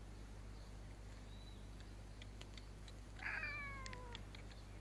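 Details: A cute cat that looks part Scottish Fold meows noisily when a hand is placed on its head, giving one clear harmonic meow falling slightly in pitch, against a steady low hum and a few faint clicks.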